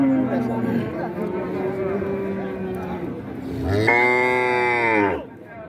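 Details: A cow lows at the crowded Raniganj cattle market in Dinajpur, 2025. Human voices talk first, then a single strong moo of about a second and a half bursts in and cuts off sharply.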